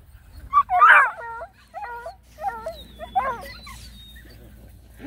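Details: Several high, wavering whines from a litter of nine Black and Tan Coonhound puppies walking around a pond: one loud bent cry, then a few shorter stepped squeals and a softer tail, over faint low background hum.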